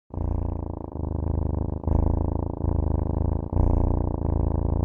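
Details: Domestic cat purring: a steady low rumbling drone that swells and breaks with each breath, roughly every second, with no other sounds.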